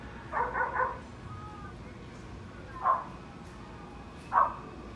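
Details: Dogs, a Husky and a German Shepherd among them, playing while another sleeps; three short barks, a quick double yap near the start then single barks about every one and a half seconds, over steady background hiss.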